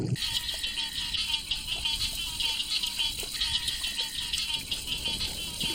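Many frogs call at once in a thick, rattling chorus of rapid pulsed trills over regular repeated chirps. These mating calls announce each male's presence and interest to females nearby.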